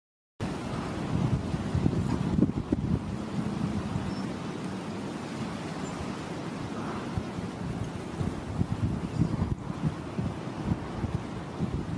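Steady wind rumble and buffeting on the microphone, with a low surf-like roar and no animal calls.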